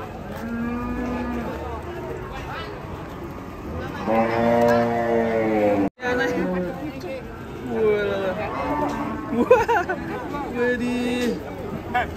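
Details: Cows on a rampage, loose: a low steady moo opens, then a loud, rich drawn-out bellow around four to six seconds, followed by further shorter wavering moos amid music and some chatter.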